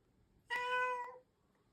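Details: A Russian Blue cat, a breed said to meow so rarely it is called a silent cat, gives a single clear, tonal meow lasting under a second, steady in pitch with rich harmonics, in a quiet indoor setting.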